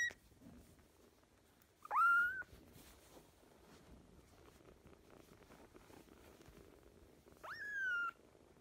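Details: Kitten from sister kittens fostered in spring 2017 gives two separate rising-then-level mews about five seconds apart, high and thin, with only soft background rustle between them.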